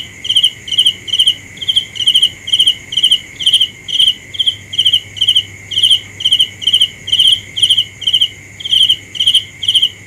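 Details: Cricket chirping steadily, each chirp a short cluster of shrill pulses repeated about twice a second, around twenty in ten seconds, over a constant high electric-like hum and a fainter, higher continuous insect tone.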